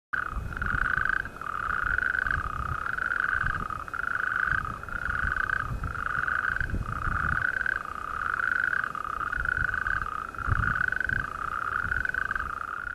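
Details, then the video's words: Natterjack toads calling in chorus at Talacre: a loud, steady rattling churr repeated in bursts about every second. "Natterjack toads calling at Talacre"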